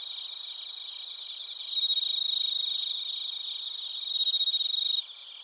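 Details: In Narita, Chiba, Japan, bell crickets and crickets sing together on a TASCAM Portacapture X8 recording; a close insect's bright pulsed trill swells twice over a steady high chirping background, then drops away near the end.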